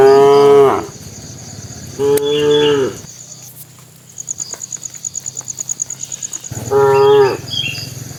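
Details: Tame cattle walking toward their pen, a bull calling the cows: three loud, harmonic moos, each under a second, about two and four seconds apart, with a rapid insect-like chirring in the quieter gap and a thin steady high tone throughout.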